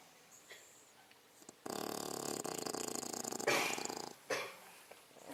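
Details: A sleeping 6-month-old female English Bulldog snores with loud, rattling, breathy rasps that come in rough bursts.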